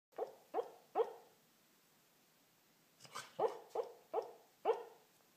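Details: Corgi dreaming, possibly a bad dream, gives soft, muffled woofs in two short bursts of three and four.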